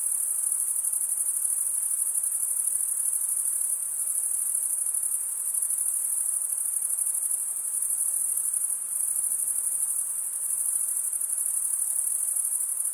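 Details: Continuous cricket chirping made by rubbing the wings together: a thin, piercing, unbroken shrill with gentle pulsing in strength and a quiet hiss below.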